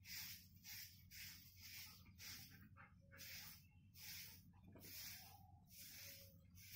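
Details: Golden Retriever breathing in quick, airy pants that come in regular bursts roughly once per second, soft and hissing, over a low steady background hum.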